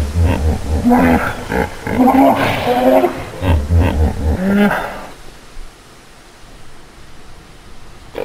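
A hippopotamus gives a deep, rhythmic series of grunting honks for about five seconds, then falls quiet to faint background hiss.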